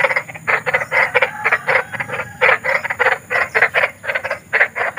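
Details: Rapid harsh croaking of a big frog (kodok besar) in nature, called spooky: rasping pulses repeated several times a second in clustered bursts, continuous throughout, over a faint low background hum.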